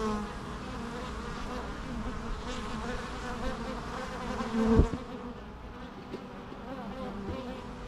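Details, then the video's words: Many bees buzzing together in a steady, low droning hum with layered harmonic tones, one louder close buzz flaring briefly near the middle before the drone settles again. "natural bee sounds"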